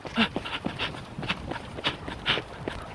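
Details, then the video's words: A dog during training to find a baby, giving quick breathy panting pulses with a few soft whimpers, about eight bursts in three seconds, with faint people talking nearby. "강아지랑 아기찾기 훈련"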